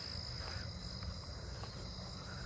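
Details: A southeastern field cricket gives a steady, high continuous trill over a loud, low motor rumble, heard on a night walk in a neighbourhood on 8/22 amid other crickets and katydids.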